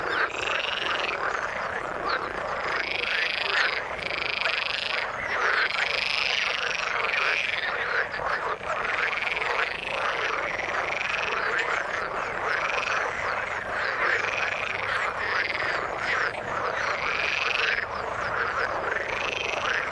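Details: Frogs in the water keep up a rich chorus. Loud, buzzy, pulsed calls repeat roughly every one and a half seconds over a dense background of lower overlapping croaks.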